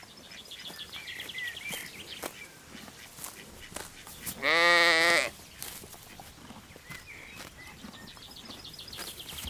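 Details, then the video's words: Little lambs graze in a green forest; a single short, nasal bleat rises out of a noisy rustling background, with faint bird chirps before and after. "Cute little lambs graze in the cool green forest - Sounds of sheep bleating"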